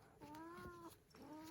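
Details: Pet cat Lin, patient with a baby in the home, utters two drawn-out meows in quick succession, the first longer and gently arching, the second shorter and cut off, over a soft indoor hiss.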